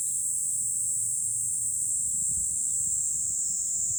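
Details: July cicada chorus heard from a high vantage point above Fukuoka, Japan, a steady shrill hiss-like buzz held throughout, with soft low background murmur.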